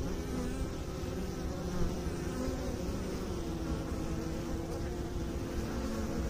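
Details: Continuous low hum of honey bees from a beekeeping setting, a thick layered buzz with steady tonal bands, level and unchanging over the few seconds.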